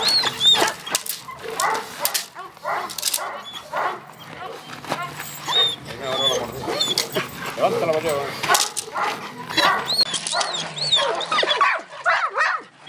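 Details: An 8-month-old Presa Canario gives short yelping barks and high, whiny cries while people talk nearby.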